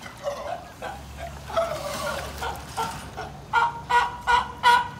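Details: A California sea lion at Higashiyama Zoo, an older brother seemingly inviting a female pup born in 2020 to play in the water, gives hoarse, honking barks that settle into a quick, steady run.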